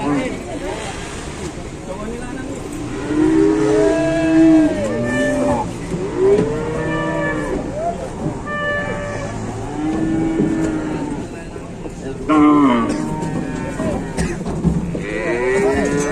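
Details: Four cattle trapped in a truck at an Indonesian livestock market: repeated overlapping bellows and moos, arching up and down in pitch, continuing through sixteen seconds amid knocks, rattling and faint voices.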